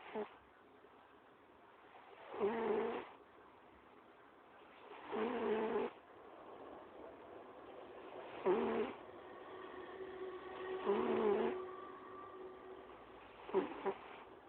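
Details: Domestic cat snoring loudly while asleep: slow, rough breathy snores in long bursts about every three seconds, each swelling and fading, with quiet pauses between.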